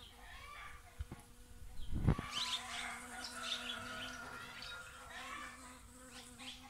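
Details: A bee's steady, low droning buzz holds for several seconds after two sharp knocks near the start, with faint rustling behind, on a sunny morning in a garden with roses, singing birds and roosters.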